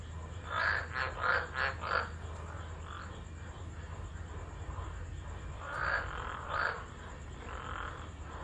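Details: Tropical frogs singing during a tropical low storm at Driver, Northern Territory, Australia, 13 December 2013, recorded on an unattended phone: a quick run of four rasping croaks, a quieter pause, then another short burst, over a constant low hum.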